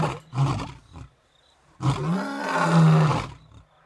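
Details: Two male lions, brothers about eight years old, in Africa, roaring together to proclaim to surrounding animals that they rule the area: a short deep grunting burst, a pause, then a longer rumbling roar with a sustained low moaning tone.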